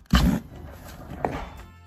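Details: Annoyed or threatened domestic rabbit grunting, as when it does not want handling or guards food or sleeping area: one loud, low, rough grunt at the start, then a shorter, sharper second sound about a second later, in a small room.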